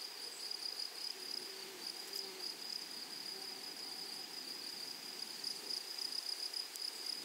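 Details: A high continuous insect drone from grasshoppers fills a wild flowery prairie, steady throughout, with faint low murmurs in the background.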